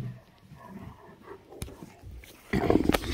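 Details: Great Danes Rhapsody and Wächter playing together during a morning session; quiet rustling at first, then a sudden loud, rough, low growling burst in the last half-second.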